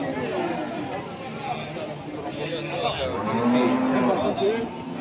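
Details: Limousin cattle at the Pasar Wage cattle market in Pati, Indonesia: a low, steady moo rises out of dense crowd chatter and men's voices late in the clip, with the market's constant hubbub throughout.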